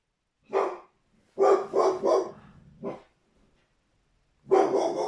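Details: An angry American Staffordshire Terrier barks while cats are frightened: one sharp bark, then a quick burst of three, a single bark, a pause, and a final long bark.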